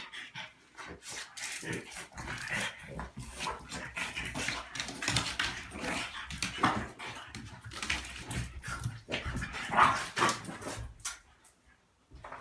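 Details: French Bulldog, a 35 lb male, playing rough with a smaller 25 lb female dog; dense, broadband scuffling with irregular growls, grunts and snorts throughout, a few sharper yelps near the middle and end.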